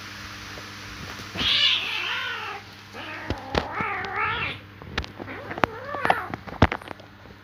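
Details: Cats in a fight give a loud, wavering yowl that dips and rises, then a second undulating howl, followed by shorter broken cries and sharp clicks, with a constant low hum underneath.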